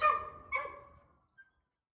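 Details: A coyote barking and yipping at neighbourhood dogs at night gives two quick, harsh barks, the second trailing off, followed by a faint short yip.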